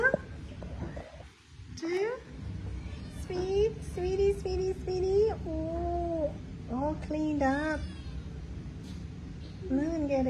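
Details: Abandoned blind stray cat, rescued from a roadside at night and just cleaned up, gives a string of about eight clear, tonal meows that rise and fall, some short and some drawn out. A woman talks between them over a steady low rumble.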